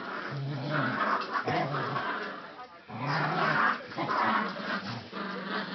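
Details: Playful dog growls during a rope game, deep and rough, coming in several uneven bursts with brief gaps and soft background voices.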